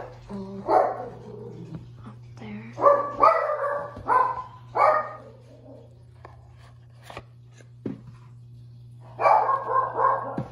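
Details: Shih Tzu dog indoors, playing and showing tricks; bright, sharp barks come in short clusters, a burst near the start, several around three to five seconds, a quiet gap with faint clicks, then another run of barks near the end.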